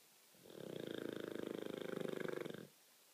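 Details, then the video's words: Olde English Bulldogge snoring loud: one rasping, rattling snore lasting about two seconds, swelling in and fading out, in a quiet room. "Bulldog snoring"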